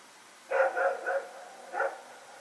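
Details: Two dogs, Rex and his companion, roaming and barking during the night of September 21, 2018. A rapid string of three barks is followed by one final bark, with steady low hiss behind.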